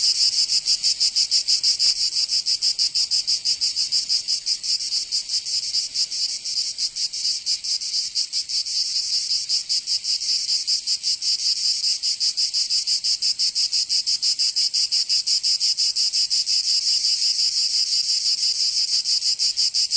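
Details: Provençal cicadas in summer, southern France, filling the air with a continuous shrill metallic buzz that pulses rapidly, slightly louder at the start then holding level, with no birds or people heard.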